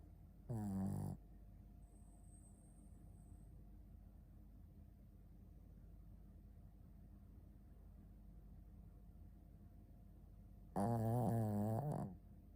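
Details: Sleeping Shih Tzu named Ponta snores indoors: two loud, low, buzzing snores with a wobbling tone, each lasting about a second, separated by roughly ten seconds of quiet breathing.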